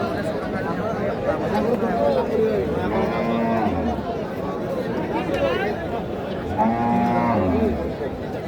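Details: Cattle at a livestock market in Kaharol, Dinajpur, Bangladesh: several drawn-out lowing moos rising and falling over steady crowd chatter and talking traders.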